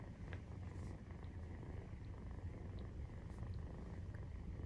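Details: Maine Coon purr recorded during nursing, with a 43-day-old kitten; constant deep, buzzing rumble of even strength, plus occasional faint ticks.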